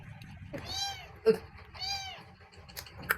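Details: Two kittens meowing indoors: two drawn-out harmonic meows, each arched in pitch, about a second apart, with a sharp knock between them and quiet talking in Vietnamese around them.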